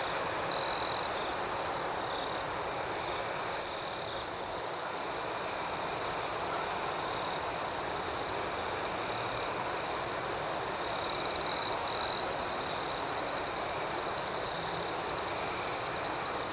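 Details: Crickets chirping at night: a steady, high, shimmering trill holds at one pitch throughout, with a faint pulsing layer above it and two brief louder bursts, one near the start and one around eleven seconds. No other sounds stand out.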